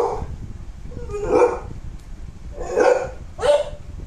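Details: A pet American Bully dog, born December 2019, gives three short, rough barks spaced unevenly over about four seconds, the last two closer together, over a low steady room rumble.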